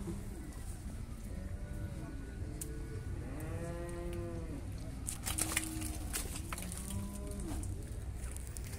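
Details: Bulls fighting in mud at a cattle fair in Brazil, giving repeated deep bellowing moos with rising and falling tones, several overlapping, over steady crowd murmur and a man talking.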